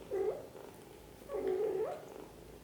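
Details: Mother cat gently looking after her kittens, giving two drawn-out soft mews, the second longer and dipping then rising at the end, in a quiet room.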